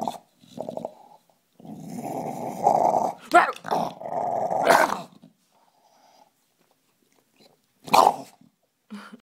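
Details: Rumbling growl from Bill the bulldog, a long throaty rasp that swells and breaks with sharp snorts and gasps midway, then trails into quiet before one final short huff.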